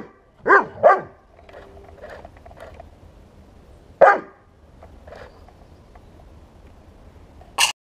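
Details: Bernese Mountain Dog confronting a 1:16 remote-control tank, giving a quick double bark, then a single bark after a three-second pause and a final short bark, with a quiet hum between.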